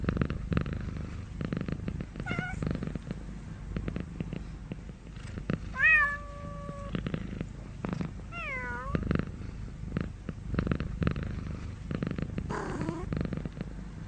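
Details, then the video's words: Cat meowing in a noisy space: two short, mid-pitched meows a few seconds apart, the first bending up and holding steady, the second falling. Frequent clicks, taps and low rumbling fill the background. "real cat sound"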